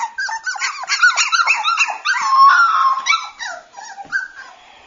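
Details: Cockapoo puppies, a brother and sister, whining continuously with rapid, high, squeaky whimpers that rise and fall and overlap, some notes stretched into short yelps.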